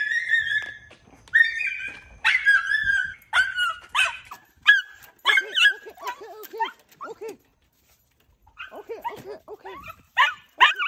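A Miniature Schnauzer greets its owner with excited, high whines and short yipping barks.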